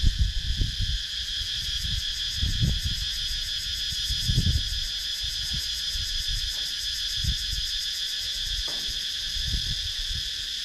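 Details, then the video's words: Cicadas in wooded countryside at Sakon Nakhon, Thailand, keep up a steady, shrill buzzing drone with a fast pulsing texture throughout. "Sakon Nakhon, Thailand – Relaxing Sounds in Nature – Cicadas Sound"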